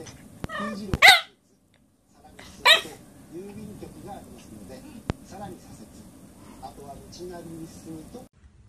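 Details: Puppies barking: two loud, sharp yaps in quick succession at the start, followed by several seconds of human voices talking with softer background noise.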